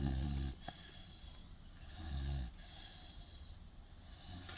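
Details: Sleeping 16-week-old Boerboel pup in its cage, eyes open, gives two low, throaty snores about two seconds apart, separated by soft breathing against a faint hiss.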